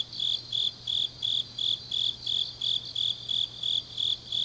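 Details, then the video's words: Autumn night chorus of grass insects in Changnyeong, South Gyeongsang Province, Korea. One shrill, metallic chirp repeats steadily, almost three pulses each second, with quieter high trills from other insects and a constant faint low drone. "깊은밤 가을 풀벌레 소리"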